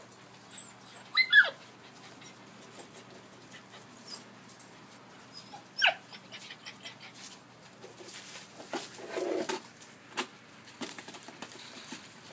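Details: Collie puppies, aged 73 and 86 days, filmed 12 August 2013, give short, high, rising whimpers near the start and again around the middle, over soft rustling and handling noises in a quiet indoor room.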